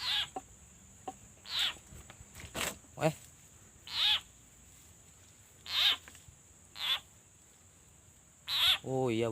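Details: Frog crying out while being eaten by a snake in bushes by a small stream at a fishing spot, heard at the end of the day: harsh, loud cries repeated every one to two seconds over a steady high insect whine, with men talking.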